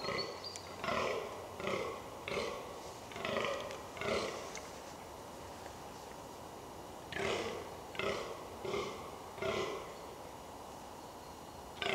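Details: Rutting-season fallow deer in the New Forest, England: a run of throaty, burping groans about a second apart, a pause of several seconds, then four more groans.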